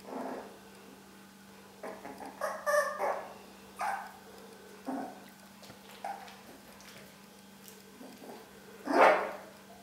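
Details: Long-haired Dachshund pups at four weeks old yipping in sparse, uneven bursts, soft squeaks early on and one louder high yelp near the end, with quiet gaps and a low electrical hum.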